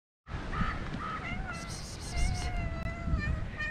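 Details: Stray cats at a park, gathering while one is petted; several drawn-out tonal meows in the second half, partly overlapping, over steady low background rumble.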